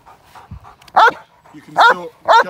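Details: Male Cane Corso in k9 response protection training, London, UK, staged against moped gang crime. After soft low sounds, three loud, harsh barks ring out, the last two close together within about half a second.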